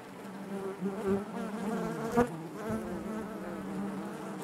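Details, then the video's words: Inside a honey bee hive: a steady low buzzing hum with stacked harmonics and a brief louder burst as a bee brushes near, otherwise even and continuous. "bees therapy hive natural buzzing sound"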